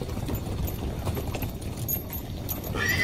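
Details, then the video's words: Herd of horses, stallion and mare, ridden along a beach; dense thudding hoofbeats and rustle fill the clip, with a short high whinny breaking through near the end. "Cavalo e Égua Relinchando"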